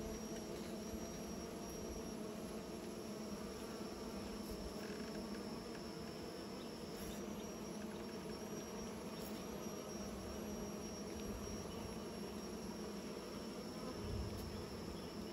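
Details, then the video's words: Steady droning hum of bees busy making new nests, low and even throughout, with a faint continuous high whine above and a few soft ticks. "Bees are making new nests"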